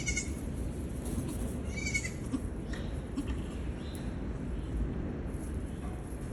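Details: Baby Nigerian goats playing and jumping around give short, nasal bleats over a steady low rumble.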